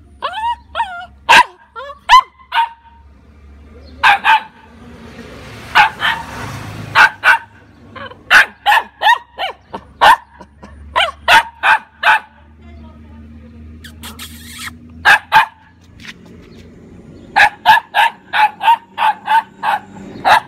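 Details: Labrador Retriever mix puppy. A young Labrador mix barks in short, high-pitched yips, often several in rapid succession with brief pauses between runs. A few thin whining notes come near the start.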